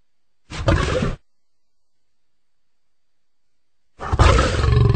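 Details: Lion producing two short, harsh, throaty growl-roars about three seconds apart, heavy in low tones, with silence between.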